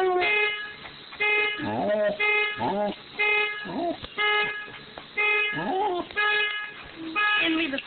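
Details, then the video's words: Dog howling in response to a car horn: short, flat honks sound about every second, and between them the dog answers with wavering, bending howls that rise and fall, sometimes overlapping the horn's tail. "Dog howling at car horn"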